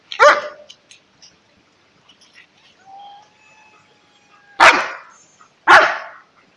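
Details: Alaskan Malamute, a pet dog, giving three sharp, loud barks spaced several seconds apart, with a thin drawn-out whine held at a steady pitch between the first and second bark; otherwise quiet indoors.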